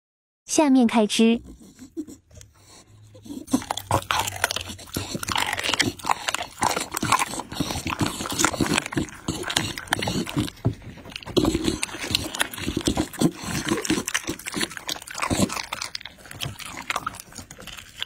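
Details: Bull, a Pit Bull, eating chicken and raw meat: dense, irregular wet crunching and chewing with bites and scrapes throughout, after a brief human voice at the very start.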